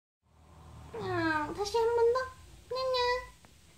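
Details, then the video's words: A chatty female cat gives a string of drawn-out, falling meows, answering her owner when asked if she is hungry and how hungry. "(현웃주의) 말걸면 대답하는 고양이 나나 Kittens Meowing"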